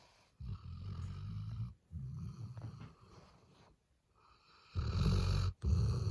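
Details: Eight-month-old black Labrador Retriever puppy, male, snoring in its sleep: low, rattling snores in uneven bursts with brief gaps, ending in two louder, harsher snores.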